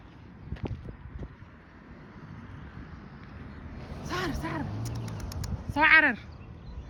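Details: Cat in Hargeisa, Somaliland, giving two arched, drawn-out meows close together, then a louder rising-and-falling meow about two seconds later, over faint outdoor background noise.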